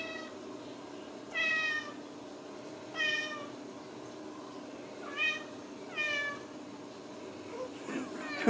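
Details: Ragdoll kittens, home-raised at a central Kansas cattery, meow in short separate bursts about every one to two seconds, thin high mews over a steady low background hum, with a sharp knock at the end.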